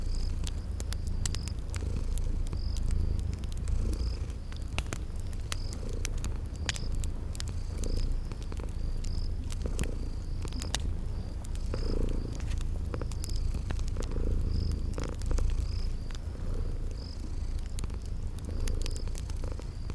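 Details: Cute kitties asleep and purring: a rumbling low purr with faint rhythmic swells, accompanied by fireplace crackles and a steady series of short high chirps in a spring garden setting.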